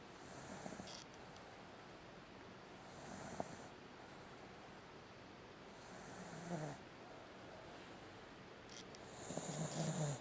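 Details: A sleeping American Cocker Spaniel, a pet dog, snoring at home: soft rasping breaths at about 0.7, 3.4, 6.5 and 9.5 seconds, each swelling briefly and fading against a steady low hiss.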